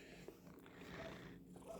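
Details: Pet cat named Percy purrs as his tail and coat are brushed at home, a continuous low vibrating rumble, evenly pulsed, with light brushing noise and a small click near the start.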